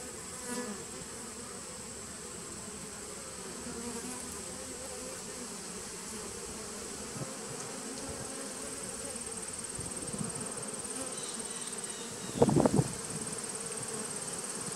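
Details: Hum of a 2017 honey bee nuc on 19 September 2018. Continuous low droning buzz slowly grows louder, broken near the end by a brief burst of knocking or rattling, then the even hum resumes.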